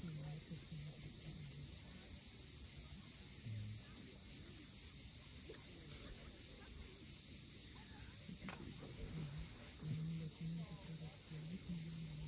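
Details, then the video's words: At sunset on the Crimean coast near Cape Fiolent, cicadas keep up a continuous piercing, vibrating hiss, accompanied by occasional low hummed tones and one short sharp sound midway. "Cicadas at sunset."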